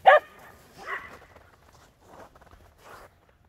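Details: Border Collie and Jack Russell Terrier playing chase together in the snow: one sharp, loud bark opens, followed by a softer yelping bark and a few quieter, breathy whimpers spaced about a second apart.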